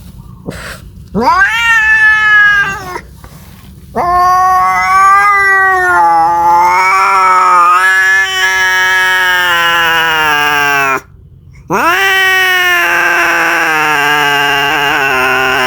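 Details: Cat calling for a mate with drawn-out, quavering yowls: a brief meow, then two long, wavering wails lasting several seconds each, separated by a short silence, the pitch climbing and wobbling throughout.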